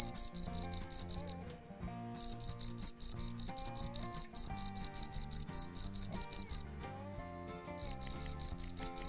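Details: A cricket's nocturnal chirps ring out high and buzzy, three per second in long runs separated by two brief silences, accompanied by soft background music and a low rhythmic pulse.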